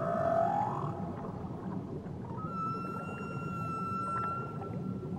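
A whale sings a rising moan, then holds a long, steady tonal note over underwater rumble.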